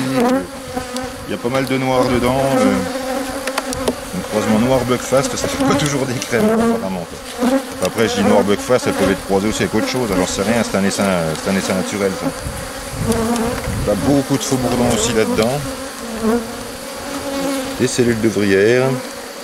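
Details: A drone-laying honey bee colony being rescued with a brood frame and nurse bees from a neighbouring, rather defensive hive, 3 May 2021. A busy, undulating buzz of many bees with rising and falling whines continues without pause.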